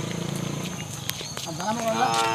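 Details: Hallikar stud bull with four teeth, from Krishnagiri District near the Karnataka–Tamil Nadu border, giving a low pulsing throaty rumble that swells into a harmonic-rich moo, rising slightly in pitch and ending abruptly after about two seconds.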